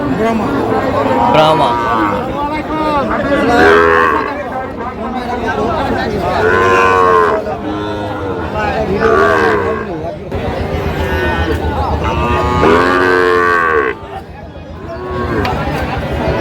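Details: At a Bangladeshi cattle market, Sahiwal breed bull calves give long, loud moos in a series, several rising and falling calls overlapping, with people talking in the background and a quieter stretch near the end.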